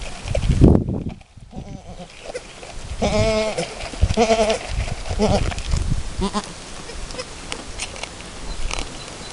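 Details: Alpine goat, a first-time mother, and her newborn kid two hours after birth, still learning to nurse; short nasal bleats around three and four seconds, then softer ones, with rustling and handling noises.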